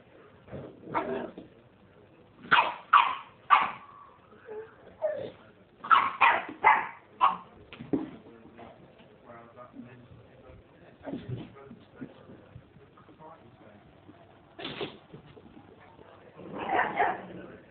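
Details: Two-year-old male Staffordshire Bull Terrier with his new baby sister, giving a string of short, irregular whining and yipping bursts, some rising and falling, with quieter murmurs and a human voice in between.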